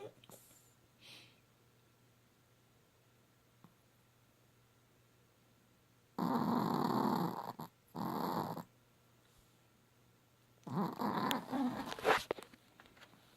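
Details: Hallie, a pet dog, snoring indoors at night: two long rasping broadband breaths in a row, then a rougher, uneven burst of snores after a quiet pause.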